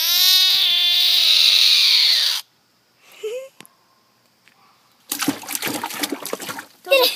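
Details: A frog, handled and touched by people, gives a loud sustained scream with a stacked harmonic tone lasting over two seconds, then quiet, then splashing water and excited voices.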